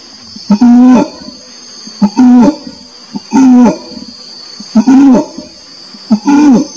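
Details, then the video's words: Repeated groaning orangutan calls, low and slightly bending in pitch with rich harmonics, five calls spaced about every second and a half, each starting with a short grunt, against a constant buzzing insect chorus. "SUARA ORANG UTAN"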